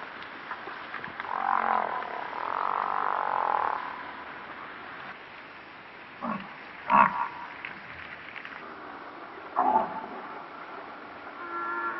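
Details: Moaning calls of an African buffalo (Cape buffalo): a wavering drawn-out bellow of about two seconds, then several short, abrupt grunts spaced a few seconds apart, with background hiss throughout.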